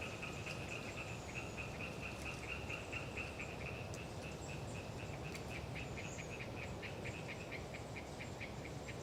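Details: Chatter of Hyla orientalis tree frogs on a windy autumn day in Galeriç Swamp Forest, Kızılırmak Delta, Samsun; fast, uneven strings of short clicking, nasal pulses run throughout, over constant wind rumble, with faint high-pitched tit calls above.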